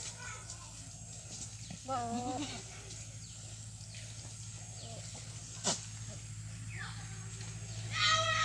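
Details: Goat at a breeding session: one quavering, wavering bleat with a stepped tremble near two seconds, then faint murmurs, a sharp click and a short high burst at the end over a steady low hum.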